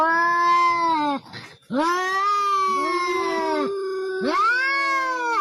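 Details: Domestic cat giving long, drawn-out wailing meows in a compilation of amusing cat voices; sustained rich harmonic howls with wavering, bending pitch, broken by a brief breathy pause after one second, then rising and falling continuous yowls.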